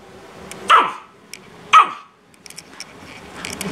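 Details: A Chihuahua barks at another Chihuahua, which it then chases, giving two sharp, high barks about a second apart, followed by faint clicks and soft household sounds, with a green-cheeked parakeet nearby.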